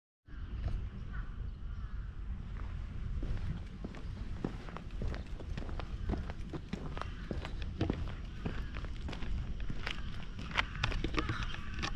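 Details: Outdoor footsteps and rustling mix with faint speech and low rumbling ambience, with no clear animal call.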